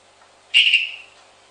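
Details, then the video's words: Pet hourglass tree frog calling at home while a tokay gecko in another room is said to reply: one brief, bright, high note with a soft trailing fade, otherwise quiet. "Dendropsophus leucophyllatus calling"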